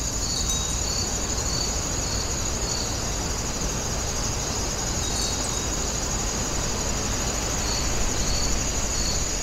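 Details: At Wonginjae, grass insects give sparse bursts of high pulsed chirps, pausing in the middle, while a steady high-pitched drone continues over deep rumbling background noise.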